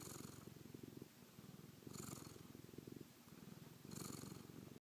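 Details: Domestic cat LeBeef purring contentedly on going to bed, Wednesday night, May 16 2012. Deep, fluttering purr in rhythmic bouts, each punctuated by a soft breathy rush roughly every two seconds.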